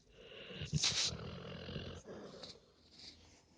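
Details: A big puppy sleeps peacefully and snores loudly: a rough, breathy snort surges early and then fades into softer, raspy breathing with faint hissy puffs.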